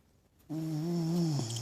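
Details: Cricket, a pet dog, sleeping with eyes open, gives a single drawn-out snore: a steady, low, humming tone that starts abruptly after near silence and holds for about a second.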